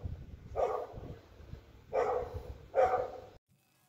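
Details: Sofia, a pet dog, on her birthday: three short mid-pitched barks at about one-second intervals, each a brief harsh burst, with quiet room noise between them.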